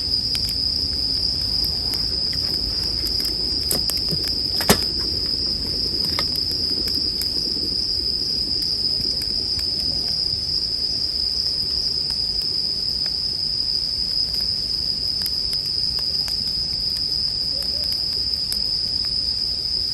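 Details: Sleep soundscape of bell crickets and a bonfire: a constant piercing high ringing runs throughout, while the fire snaps and crackles, with one loud pop near the middle and denser crackling early on.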